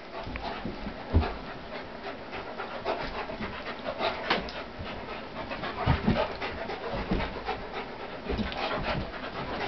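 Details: Pitbull Corona, about 75 pounds, wrestles playfully with Warlock, a German Shepherd near 150 pounds; steady heavy panting and huffing fill nearly ten seconds, broken by a few sharper thumps from the tussle.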